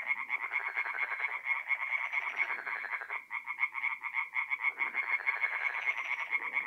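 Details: Night chorus of tree frogs at a forest pond in north-eastern Italy in mid-April: quick nasal pulses in overlapping series, briefly thinning near the middle, with a faint low murmur of other frogs beneath.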